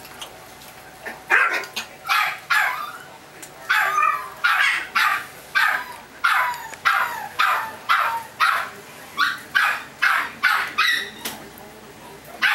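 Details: Chihuahua puppies yap in a long, persistent series of high, sharp barks, close to two each second, some doubled, with only brief gaps, over faint steady hiss.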